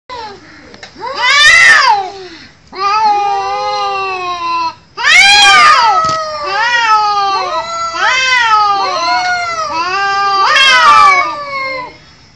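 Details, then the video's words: Cats fighting, trading long wavering yowls that rise and fall in pitch, broken by sudden harsh screeches near the start, middle and end. "Cats Fighting with sound"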